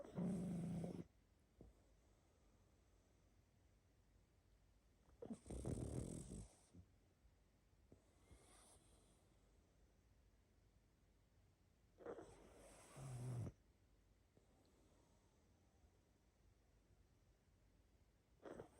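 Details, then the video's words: Sleeping pug with snoring and snuffling breaths. Heavy rasping snores come roughly every six seconds, with faint wheezy breathing in the quiet stretches between them. "Храп и сопение мопса"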